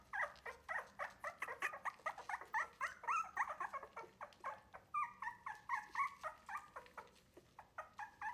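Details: Litter of three-week-old Wire-haired Miniature Dachshund puppies learning to take food not from their mother, unhappy with milk served by a human; rapid chorus of short whimpering yelps, about four per second, indoors.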